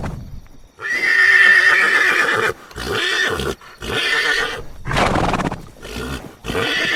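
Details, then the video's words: Horse giving a long, shrill, quavering whinny that slowly falls in pitch, followed by several shorter breathy neighs and snorts separated by brief silences. "SOUND OF HORSE NEICHING SOUND OF HORSE SOUND HORSE GALOATING"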